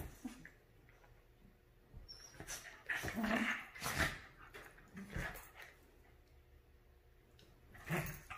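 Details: Havanese and Maltese dogs, Clam and Bella, playing and fighting over a couch indoors; short rough growling bursts with a harmonic edge come in several clusters, mixed with scuffling noises in a small room.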